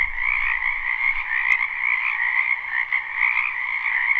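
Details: Many frogs calling in a spring wetland behind a house, live recording: a dense, continuous chorus of overlapping croaks and trills forming a steady two-band hum, with no single caller standing out.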